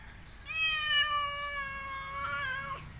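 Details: Domestic cat's single drawn-out meow, steady and slightly nasal, holding one pitch for about two seconds before a brief upward catch at the end; quiet background.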